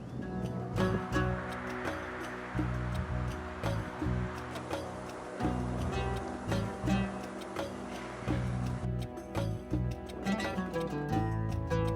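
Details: Layered music with steady low tones and percussive beats throughout, no animal sound heard.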